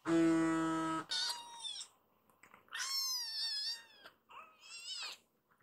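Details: Hana, a rescued baby kitten in foster care, becomes wildly excited after being petted and climbs a man up to his shoulder. A steady one-second tone opens the clip, then three loud, wavering high meows follow, each rising and then falling.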